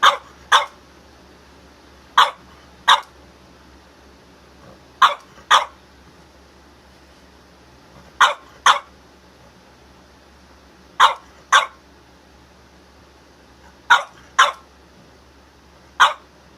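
A French Bulldog barks in short pairs, each double bark spaced a few seconds apart.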